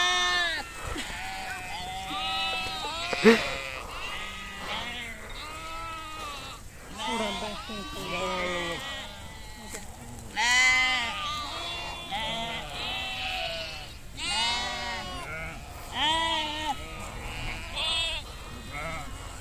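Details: Nomadic herd of sheep grazing outdoors in Kashmir: many overlapping wavering bleats from several animals, some high and some deeper, repeating every second or two, with people talking faintly in the background.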